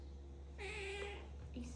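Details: Pet cat indoors letting out a single level, sustained meow about half a second long, then a brief softer note, against a constant low hum in a small room.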